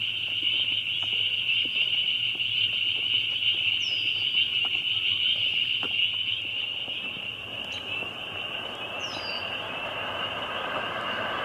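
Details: Loud chorus of many spring peepers: a dense, continuous wall of high, shrill peeping notes that holds steady throughout, with a few faint higher chirps above and a low hum underneath.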